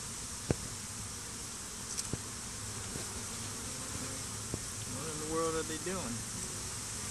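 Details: Honey bees swarming over a stump beside beehives and fighting, days after a small swarm was combined with a hive. A steady buzzing drone with scattered sharp taps, and a brief wavering whine near the end.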